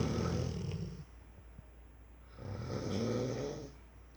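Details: A four-year-old Rottweiler snores in two long, rumbling breaths with a low, rattling drone.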